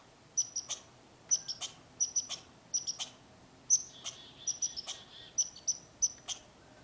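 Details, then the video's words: A squirrel in a tree gives sharp, high-pitched chirps in quick pairs and triplets, repeated steadily. "Squirrel Making Noises"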